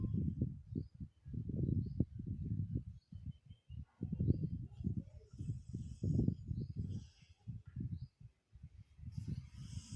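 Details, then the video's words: Sleeping dog snoring: low, rough, rumbling pulses in quick succession, grouped into bursts with brief pauses near 1, 3 and 8 seconds; faint higher hiss and scraping sounds in the background. "Dog Snoring (Funny)"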